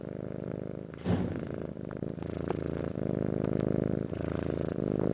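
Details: Close, loud purr from a Persian-Siamese cross cat, a rough low rumble pulsing with breaths, interrupted by a short rustling burst near the start.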